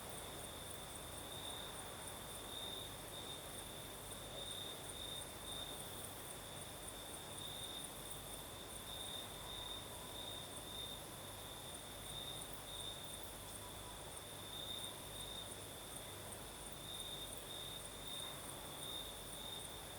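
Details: Nighttime cricket song in southern Crimea with a night breeze, a sustained high trill that pulses in repeated brighter bursts every second or two across the whole stretch, over faint low rustling background noise.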